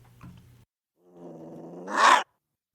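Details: Gray fox giving a low, rasping growl with stacked tones that swells for about a second and ends in one sharp, loud bark; faint low rumbling before it, then silence.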